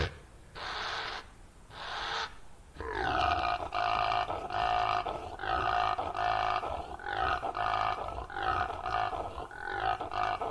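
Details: Rutting male impala calling in the breeding season while chasing rivals from its territory or herding females: two loud nasal snorts open, then a long run of about nine throaty, harmonic barking roars in quick succession.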